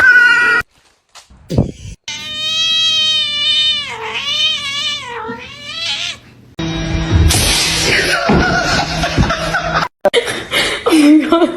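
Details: Drawn-out cat yowl, a long wavering caterwaul that rises and falls for several seconds. Brief silences come before it, and noisy clatter and voices follow.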